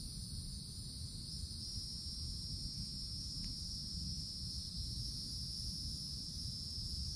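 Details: Summertime cicadas high in forest treetops keep up a continuous shrill, even buzz, unchanging in pitch, with one brief click near the middle and a steady low background rumble beneath.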